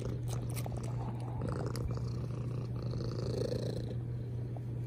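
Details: Short stretch of a domestic cat's loud purr, a thick low rumble with a faint breathy swell and a few light clicking kiss sounds.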